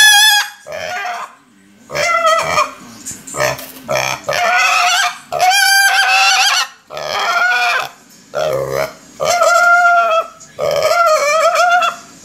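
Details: A young domestic pig, hungry, squeals over and over: about ten piercing, wavering cries in a row, some broken or cracking, with short breaths and snuffles between them.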